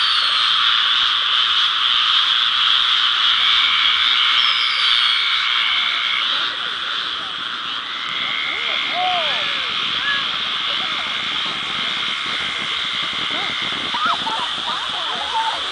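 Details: A dense frog chorus on July 4th: steady, high, trilling calls overlapping into one continuous wall of sound.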